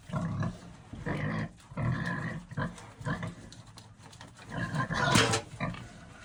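Pigs grunt and squeal harshly in quick bursts as they squabble over food.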